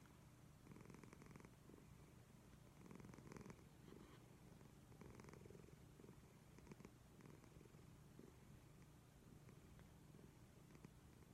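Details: Sleeping cat named Leo snoring loudly indoors, low continuous rumbling broken by raspy breath bursts repeating roughly every two seconds, each breath louder than the last.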